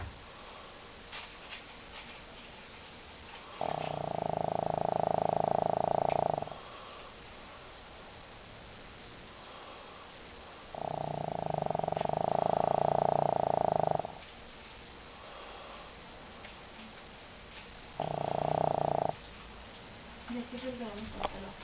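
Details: Deeply sleeping pet dog Leo snoring heavily. Three loud, rough, buzzing snores of one to three seconds each recur every six to seven seconds, with faint breathing and small rustles in between.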